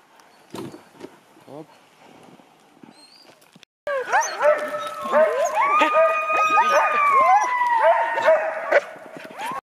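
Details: Sled safari Huskies in Russian Karelia: near-quiet opening with a few faint scattered yips, then a sudden loud chorus of long sliding howls and whines from several dogs, joined by short yelps.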